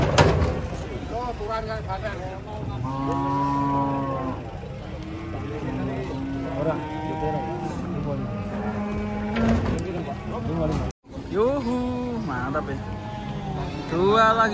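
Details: Agitated cattle being unloaded from a truck, giving several long, steady, low moos of one to two seconds each, some rising then falling, with people talking loudly between and over the calls.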